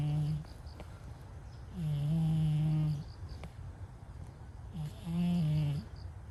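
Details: Asleep and snoring, a brown-and-white stray cat produces long, low, nasal hums of over a second each, returning about every three seconds with silence between.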